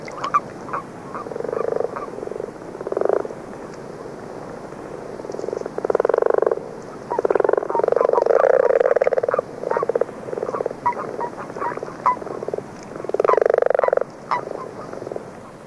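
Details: Early-season chorus of common frogs beginning in February, joined by a few common toads; muffled snoring purrs lasting about a second or more, repeated irregularly with brief ticking notes between.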